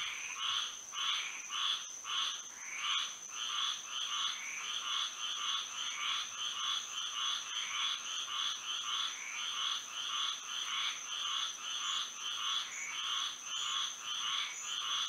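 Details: Nighttime frog chorus in Florida under moonlight, quick overlapping croaks pulsing almost two per second for fifteen seconds, several callers blending into a busy rhythmic wall, with a continuous high whine overhead.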